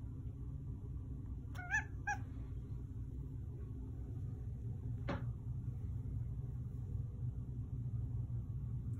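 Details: Male Manx cat taught to meow when asked "more?": two quick, short meows about half a second apart, then a soft click or tap. Low indoor rumble throughout and a voice asking about more pets.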